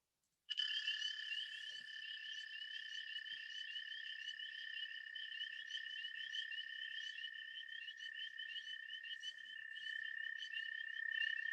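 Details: An American toad calls in early spring, a long, steady, musical trill held without a break; only American toads and spring peepers are calling.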